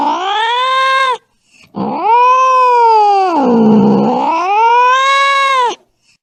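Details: Angry cat yowling in two long, strained wails split by a brief pause; the second wail dips into a low, gravelly growl midway before climbing back to a high, tense cry.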